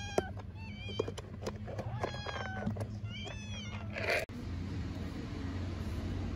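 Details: An orphaned Istanbul street kitten, very hungry, gives fainter quick meows amid clicks and rustling for about four seconds. An abrupt break follows, then only steady low background hum.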